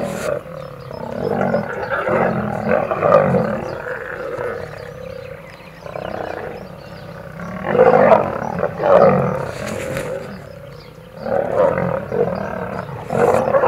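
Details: Wild lions fighting in Kruger National Park, South Africa: an old male defends his territory against young males. Rough, rasping snarls and growls surge in repeated waves, several loud outbursts rising and falling over the recording.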